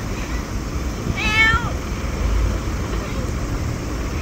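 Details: Small stray black cat, very vocal and turning friendly at a convenience store in August 2024, gives one clear meow of about half a second that rises then falls, over a steady low traffic rumble.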